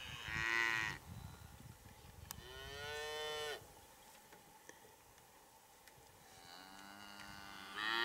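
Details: Hereford cattle during breeding season as a big bull courts and mates cows: three long, loud moos, each about a second, the middle one lower and steadier, separated by quieter outdoor background noise.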